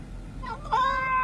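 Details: A domestic cat making a funny, unusual noise: a single drawn-out tonal meow that rises, then holds steady and slightly wavering for half a second, over a faint low hum.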